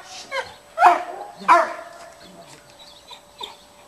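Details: Cane Corso at a utility dog training school in Piatra Neamț, provoked with a stick during aggression training, gives two sharp, deep barks a moment apart, then quiet with faint background noise.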